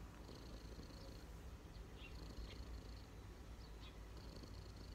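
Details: Cat resting on someone's knees purrs in a low, even rumble; thin high tones drift in and out with a few soft ticks.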